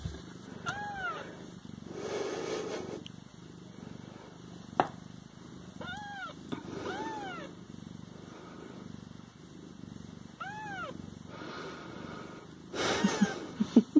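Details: Domestic Siamese cats waiting to be fed repeat bent, whining meows in small clusters several seconds apart, with soft rustling, a few knocks and faint household noise between calls.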